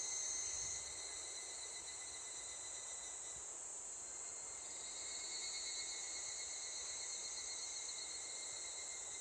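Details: Evening cicada (higurashi) calling on the way home from school after pig-feeding duty, newly begun for the season: a dense, steady high shrill band with thin sustained tones underneath, even and unbroken throughout.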